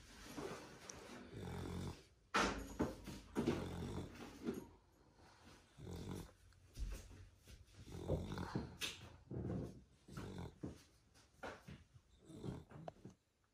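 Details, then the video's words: Pet beagle Rocket sleeping and snoring loudly indoors: rough, buzzing snores with a low, ribbed rumble, about one each second in uneven bursts, separated by brief near-silent gaps. "Beagle Dog Snores Very Loud"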